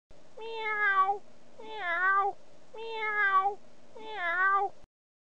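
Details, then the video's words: Domestic cat in Switzerland giving four drawn-out, mid-pitched meows, each about a second long with a slight bend in pitch, spaced roughly every 1.2 seconds over a faint steady hum. "Cat sound"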